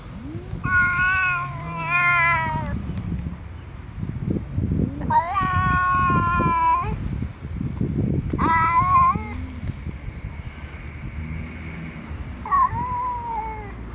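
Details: A friendly black cat meeting an unfriendly other cat; four loud drawn-out meows, each nasal and slightly wavering, spaced a few seconds apart, with rustling and low background noise between calls.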